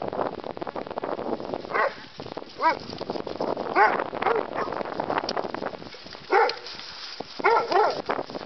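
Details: A terrier mix and a bulldog learning to play together: short harmonic yips and squeals scattered through the clip, separated by rough, noisy growling and scuffling.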